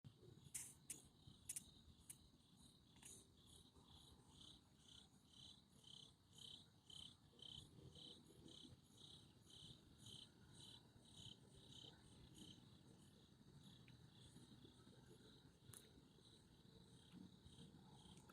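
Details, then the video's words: Crickets chirping on a Sunday night: sharp, high-pitched pulsed chirps repeated about twice a second in a steady rhythm, over a low rumbling background with a few brief clicks. "Relaxing Nature Sounds with Crickets 🦗🦗🦗 in the background"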